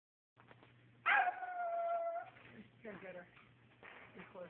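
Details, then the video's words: Boomer, a pet dog, lets out one sustained howl lasting about a second, steady and slightly falling, followed by softer whimpering yelps, with a person calling a name afterwards. "Boomer howling"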